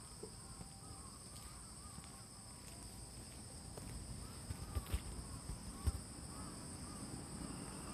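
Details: Autumn insect chorus at Fujimori Park, Hachioji, Japan, early morning of 6 September 2020, drizzle after rain: unbroken shrill high trills, faint crow caws, and low rumbling thumps near the end.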